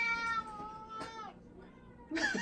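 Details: Pet cat, confused when its beloved owner wears an ogre mask yet speaks in her own voice; a long, level, clearly tonal meow of about a second, a fainter trailing one, then a sudden noisy burst of voice.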